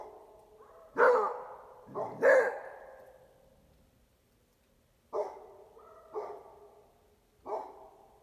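A Beagle-Basset Hound mix gives deep, hoarse barks in irregular bursts, directed at strangers.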